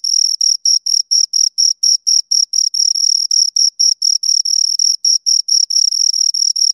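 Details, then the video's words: Chirping of two crickets recorded very near, a shrill pulsed trill of short bursts a little over two per second, some bursts running together as the pair overlap, otherwise quiet background. "Two Crickets Chirp Sounds"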